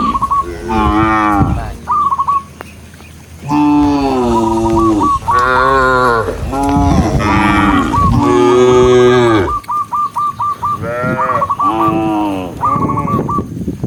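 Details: Cows being herded out of their pen on a bright morning, running down a green hill toward grass. Deep, drawn-out harmonic moos overlap one after another, each about a second long. A short, high, rapidly repeated chirping series sounds between them.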